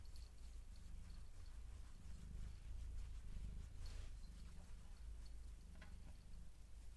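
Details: A cat purring while being massaged: a steady low rumble that swells in soft pulses about once a second, with light rustling and handling sounds over it.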